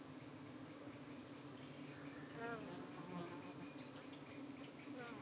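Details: Honey bee hive in the UK under attack by darting flies one evening, the bees fending them off. A dense continuous hum fills the air, with a few brief, rising, whiny buzzes passing midway.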